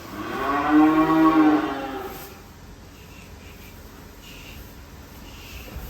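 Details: Enraged cow that escaped its pen and sank into sucking mud, nearly dying, gives one long, low, rich moo lasting about two seconds, then falls silent against a quiet rural background with faint distant sounds.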